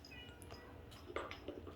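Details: Six-week-old Bengal kittens; a brief, soft, high mew with a short second note follows a quiet stretch, with a faint human voice nearby.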